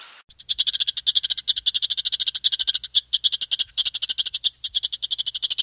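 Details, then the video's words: Chipmunk giving a rapid series of sharp, high-pitched chips, about eight per second in a steady rhythm that runs for nearly six seconds, with no other sounds clearly heard. "Звук бурундука"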